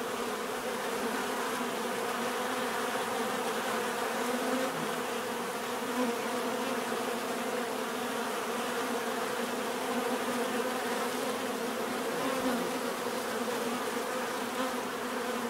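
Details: Bees give a natural, steady buzzing drone, layered hums holding level throughout with faint overlapping tones, offered for relaxation and sleep.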